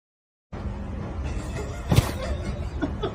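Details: After half a second of silence, a steady low rumbling noise sets in, with a sharp slap near the middle and a few soft knocks.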